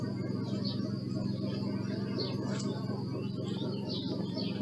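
Honey bees give a steady, low droning buzz, with faint high bird chirps above.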